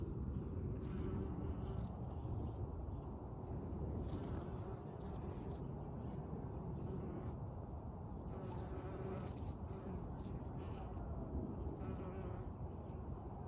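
Honey bees hum in a low, steady drone, partly masked by a deep, rumbling background.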